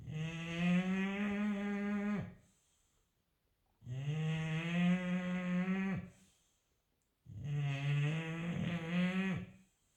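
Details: An English Bulldog snores loudly, each deep, droning breath lasting about two seconds and repeating steadily.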